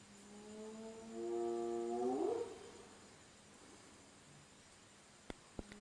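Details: At night, a spotted hyena calls just outside or in a camp with a long, hollow, hum-like note that suddenly sweeps upward into a rising whoop. Afterwards the night falls quiet apart from a couple of sharp clicks.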